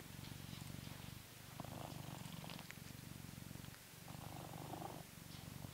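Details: Blue British Shorthair cat Coconut, living in England, purring contentedly during a brushing session; a deep continuous throbbing rumble, dipping briefly in two places, with the swish of brush strokes layered on top.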